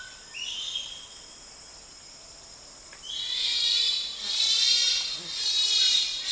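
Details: Bonobo (pygmy chimpanzee) screaming close up in Wamba Forest, with distant answering calls from another group: a faint high cry early on, then loud, shrill, broad screams from three seconds onward in three long swelling waves.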